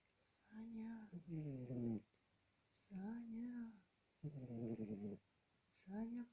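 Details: Snores from Sasha the cat, low raspy breaths of about a second each, alternate with a person's voice calling the cat's name to wake it, all inside a quiet room.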